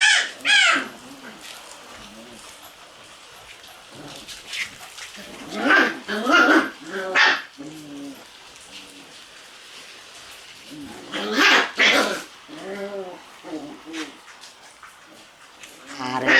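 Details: Shiba Inu puppies in their puppy room on 12 May, a rainy morning, giving short high yelps and whines in clusters near the start, around six seconds and again near eleven to thirteen seconds, with human voices talking in between.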